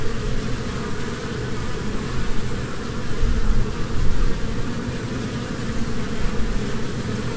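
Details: Low, dense hum of honeybees, swelling slightly around the middle, with layered droning tones and rumbling background noise.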